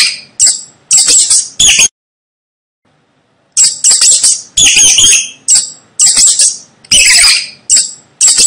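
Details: Rapid, shrill rat squeaks in a tight run, a gap of nearly two seconds, then a longer, denser sequence of high, harsh chirping squeaks.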